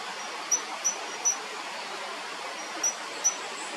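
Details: Tiny cricket about 1 cm long singing while moving through vegetation beside a river at The Lost Tinamou nature reserve, Finca La Gracia, 25 October 2019: brief high, pure chirps in irregular pairs and singles over a steady hiss of background noise.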